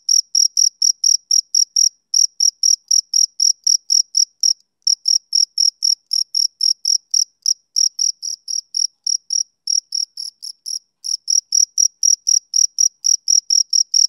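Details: Summer-evening song of a male cricket: fast, high, buzzy chirps at around four per second, briefly pausing twice and softening for a moment before resuming the steady rhythm.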